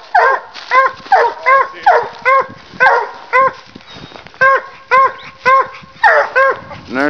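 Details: A walker dog and a leopard hound bay steadily at a raccoon up a tree while hunting, around fourteen clear, ringing barks in seven seconds, with a short pause midway and a low whine at the end.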